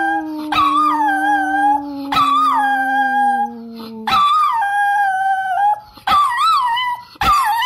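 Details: A howling dog holds a slowly falling low note for about four seconds while a higher voice wavers above, then comes a run of repeated short rising-and-falling howls punctuated by yips.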